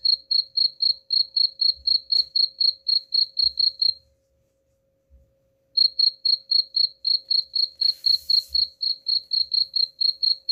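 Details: Cricket song meant to chase rats away: rapid high chirps about four per second, stopping for nearly two seconds midway before resuming, with a brief hiss and faint low knocks.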